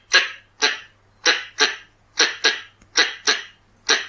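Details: Red-bellied squirrel lure call: a short burst of harsh, hoarse chucks, some paired, spaced about half a second apart over four seconds, in quiet surroundings.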